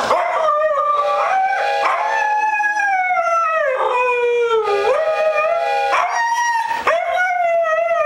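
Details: Siberian Huskies in a group howl, sustained sliding notes dipping and rising again, several voices overlapping in a continuous chorus with short pauses between phrases.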